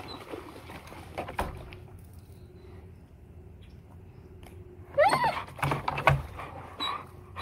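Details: Tonka, an Alaskan Malamute, in a pool after jumping in without permission, cries when left alone for a minute; brief high, wavering whimpers break out amid splashing water and bumping noises.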